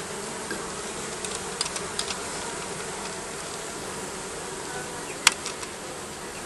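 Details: Steady buzzing of bees beneath roofing, a constant insect drone interrupted by a few faint ticks and one sharp click near the end.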